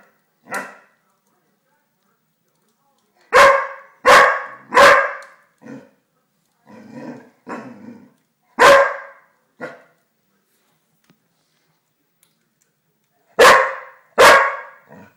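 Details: Pixel, an English springer spaniel, barking at a fireplace indoors: sharp, loud barks come singly and in quick pairs and triplets with pauses between, plus a few softer, lower muffled woofs in the middle stretch.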